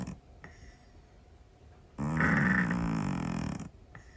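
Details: Sleeping Scottish Fold cat kept as a pet, snoring loudly; a single long, buzzy, droning snore lasting well over a second, preceded by quiet breathing in a still room.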